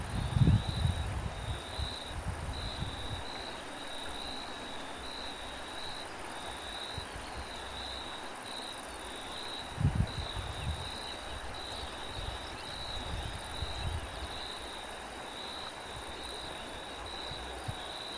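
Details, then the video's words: Cricket chorus and wind: an evenly pulsed high trill continues throughout, while low, rumbling gusts of wind swell briefly near the start and again around ten and fourteen seconds. "Cricket and wind"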